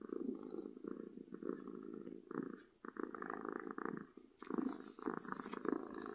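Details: Happy domestic cat purring loudly: a continuous low rumbling purr in bursts of about one to two seconds, with brief pauses between inhale and exhale phases.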